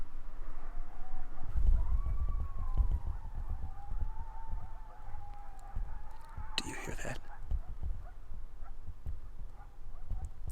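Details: A distant pack of coyotes howls at night over the quiet town of Marion, Kansas, a long wavering scream-like wail that holds steady and slowly falls, over low background rumble.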